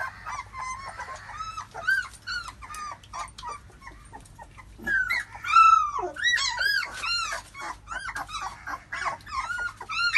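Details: Nursing Labrador puppies being fed by their mother give a busy stream of reedy, wavering whines and little yelps, overlapping and growing louder and denser in the second half.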